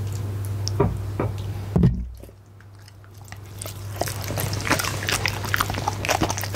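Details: Punte the goldendoodle eats a steak and egg dinner indoors, close to a Blue Yeti microphone: wet biting and chewing clicks, a brief quiet pause midway, then renewed crunching over a steady low electrical hum.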